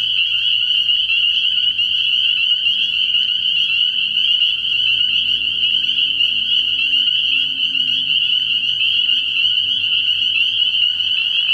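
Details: Nighttime chorus of numerous spring peepers at a frog pond early in the year, shrill high peeps fused into a continuous ringing band, with a soft low droning rumble running beneath throughout.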